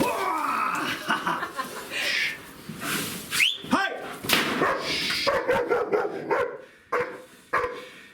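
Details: Siggi, a nervy two-year-old female German Shepherd, under pressure in a new bite-training scenario, gives irregular harsh barks and yelps in uneven bursts, with people shouting and broadband scuffling noise throughout.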